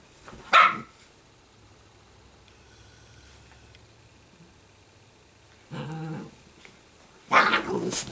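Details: Sparkle, an Italian greyhound puppy, lets out sharp, high barks separated by quiet pauses, plus a brief grumbling growl between them.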